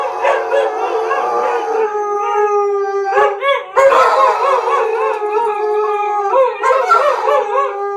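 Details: Chorus of three dogs, a German Shepherd that began howling and two huskies that joined in for fun; a steady drawn-out tone holds beneath layered, rapidly warbling arched howls, with brief breaks and a sharp yelp around the fourth second.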